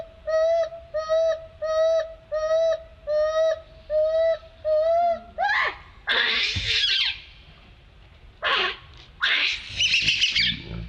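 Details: Monkey calling for help: a run of seven clear, tonal, slightly rising cries repeated about once a second, followed by harsh, loud, noisy screams in bursts near the end.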